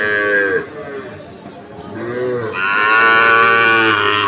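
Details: Sahiwal bull calves at Ambari cattle market, Dinajpur, 6 November 2023: a short moo ends after half a second, then a louder, longer, harmonic-rich bellow rises and holds steady for nearly two seconds.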